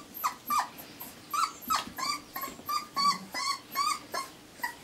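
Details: Four-week-old Irish Terrier pups whimpering and yelping in a rapid series of high, tonal cries, each rising then falling, about three per second, overlapping as several puppies call at once.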